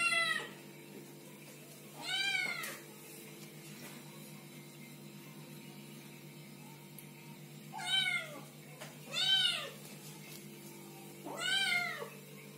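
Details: Baby cats meowing in short, rising-then-falling mews, a pair early on and a quick cluster of three later, set against a steady low hum.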